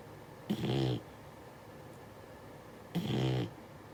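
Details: Sleeping Beagle puppy, six months old, producing two harsh, buzzing snores roughly two and a half seconds apart, each about half a second long, in a quiet room.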